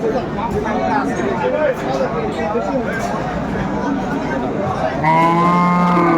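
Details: Dairy cows with calves for sale at Aftabganj haat, Dinajpur, Bangladesh, 21 April 2024: busy market chatter, then a loud, steady harmonic moo bursts in over the final second.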